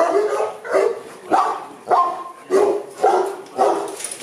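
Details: Boerboels at a kennel in Accra, Ghana: loud barks repeated roughly every half second, each a harmonic burst with a sharp onset, fairly regular in rhythm.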